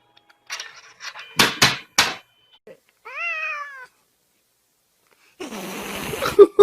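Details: Domestic cat giving a single short meow that rises then falls, under a second long, preceded by sharp knocks and thumps and followed by a rushing noise with a few clattering bangs.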